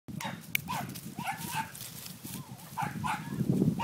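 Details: Corgi puppies whimper and squeal in quick, high, wavering bursts over a low rumbling background.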